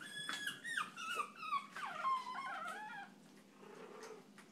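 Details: Excited chihuahua producing a quick stream of high, sliding whines and squeaky yips that fall in pitch, fading to softer, lower whimpers over the last second.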